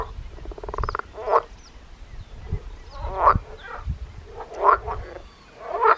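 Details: Frog calling with expanding vocal sacs, recorded close up on 13 June on the Danish island of Christiansø: a short buzzy pulsed trill, then a few harsh, grating croaks at irregular intervals of about one to two seconds.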